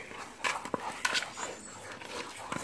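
A Rottweiler gives short, sharp whimpers and breathy pants in quick, uneven bursts.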